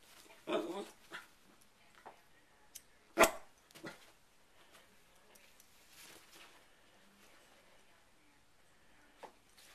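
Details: A pet dog indoors reacts to a hair clip opening and closing. It gives a few sharp, isolated barks spaced several seconds apart, with soft whimpers and brief human speech in the background.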